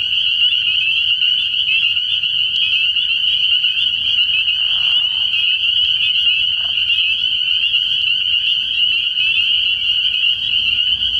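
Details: Constant high-pitched chorus of numerous spring peepers at a frog pond at night early in the year, shrill overlapping peeps throughout, with a brief lower croak near five seconds.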